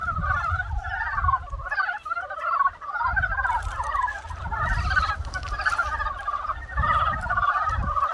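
A dense spring chorus of frogs, many voices croaking and trilling together without pause.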